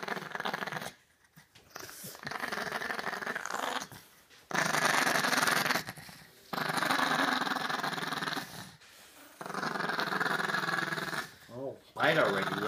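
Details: While being dried off, a Chihuahua gives long throaty growls, steady rasping spells of two to four seconds broken by short silences, with a whiny note near the end.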